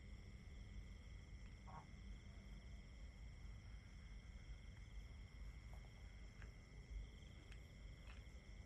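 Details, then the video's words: Crickets in a long nature-sound recording: several steady, unbroken high trilling tones at different pitches hold throughout, with faint brief calls of other creatures and a low background rumble. "Just Crickets 10 Hours Nature Sounds"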